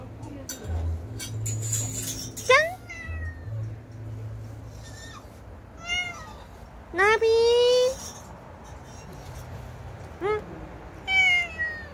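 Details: Domestic cat giving a run of separate meows, each a bright, harmonic rising-then-falling cry, some short, one longer and steadier near the middle; low murmuring human speech continues underneath.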